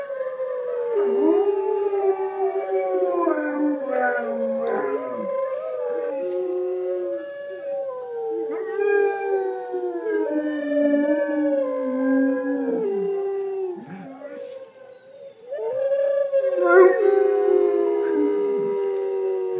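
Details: A German Shepherd howls in long, wavering, sliding tones, overlapping with other howling voices, as it howls along with wolves.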